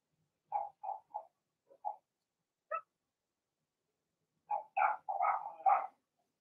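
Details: Blenheim Cavalier King Charles Spaniel puppies, part of Remy's first litter of six, in a home puppy pen. Short mid-pitched yelps come scattered at first, then a denser burst of overlapping squeaky cries near the end, with silence between.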